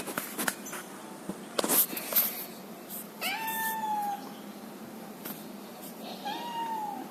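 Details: Male mixed Angora cat finding a way inside, giving two drawn-out meows a few seconds apart, the first slightly falling and the second rising then falling, after a series of clicks and knocks.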